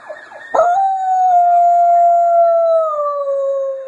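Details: Pet dog Sammy howls in response to sirens, one sustained clear note lasting over three seconds that drifts gently downward toward its end, with a brief noisy onset.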